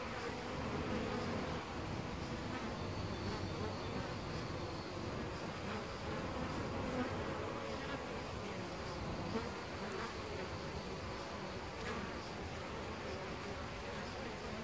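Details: Apis mellifera colony in a tree-trunk hole nest, Costanera Sur Ecological Reserve, recorded from ten centimetres: sustained humming swarm, slightly louder in the first seconds, with individual bees zooming past now and then over the constant drone.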